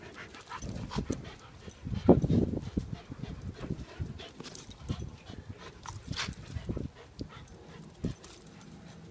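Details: Two dogs, a Lab/Golden mix and a Husky/German Shepherd mix, playing tug-of-war: low rumbling growls in bursts, with a louder, rougher growl near the two-second mark, then scattered grunts and soft scuffling.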